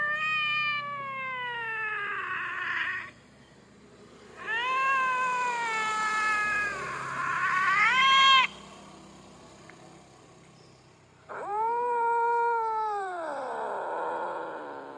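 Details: Angry, threatening, territorial yowls from an unfamiliar cat: three long, drawn-out wailing calls with rising and falling pitch, each lasting two to four seconds, separated by short quiet pauses.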